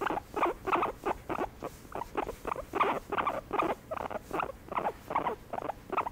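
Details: Guinea pig receiving a massage, giving a steady series of short, rough, mid-pitched pulsing notes, about two to three per second, slightly uneven in rhythm, with a quiet indoor background.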